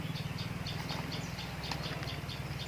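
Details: Giant honey bees during honey harvesting from a nest high overhead: a steady low droning buzz with a pulsing rhythm, and faint high chirps repeating about every quarter second in the background.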